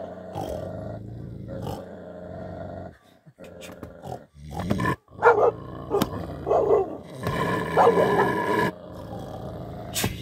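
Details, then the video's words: Tibetan Mastiff, described as a dangerous dog not to be teased, giving deep rough growls and short barks in irregular bursts, with music playing in the background. "Dont tease when you find such a dangerous dog. #Tiger #Bhote Kukur #Tibetan Mastiff"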